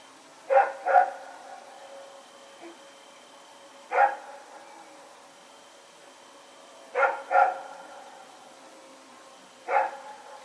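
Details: Sparse night barks from Rex, a dog running around on September 21, 2018: a double bark, a single, another double, then a single, spaced several seconds apart over a faint hum.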